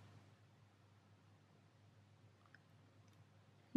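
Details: Near silence in a quiet indoor room, with a faint low hum and one sharp click at the very end.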